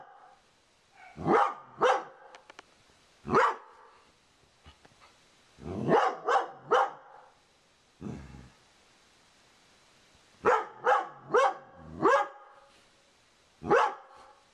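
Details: Female Dobermann barking at a cow skull she treats as a threat to her owner, indoors in a living room; loud sharp barks in irregular bursts of one to three, with quiet gaps between.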